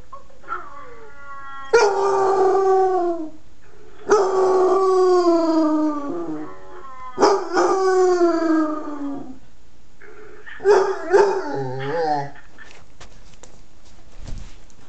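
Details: A 9-month-old Basset Hound howls in long, drawn-out, slightly falling notes, repeated several times.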